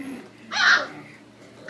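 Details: Capo, a three-week-old puppy indoors, lets out a single short, high squealing whimper in the middle, preceded and followed by quiet room hiss, with another sharp squeak starting right at the end.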